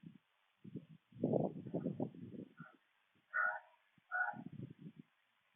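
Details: Raccoon facing an opossum, caught on camera; a long low rasping growl, then two brief nasal wailing calls, followed by more grunting rasps.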